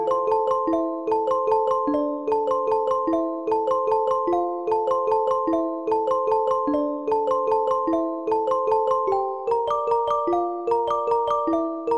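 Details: Bright mallet music, marimba or glockenspiel notes in a steady waltz-like pattern, with no animal voice present.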